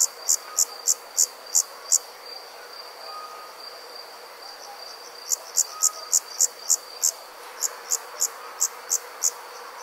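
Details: Summer insects calling at night in the countryside: bright, high chirps repeated about three times a second in two bursts separated by a pause, over a steady faint insect hum.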